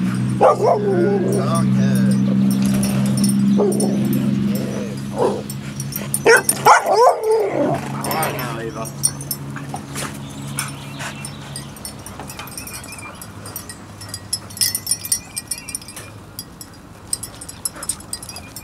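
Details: Biscuit Bentley puppies at outdoor playtime giving a cluster of short yips and barks around the middle, with faint whimpers later, over people talking and a low steady hum through the first half.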